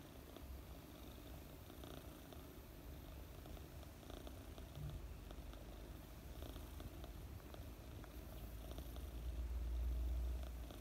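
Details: Mooni, a sleeping 4-month-old female British Longhair kitten, purrs steadily with a low, continuous rumbling vibration.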